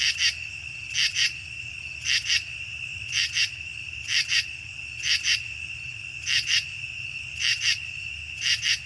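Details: Common true katydid from the Chicago region, a mainly nocturnal insect that sometimes sings by day late in the season; harsh, buzzy double pulses repeated about once a second, over a steady high hum.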